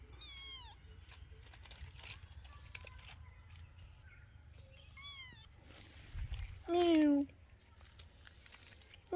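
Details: Kittens exploring outdoors in nature give thin, high, falling mews, one early and one midway, then a loud, drawn-out lower meow near the end, with another beginning just as it closes; a steady faint hum underneath.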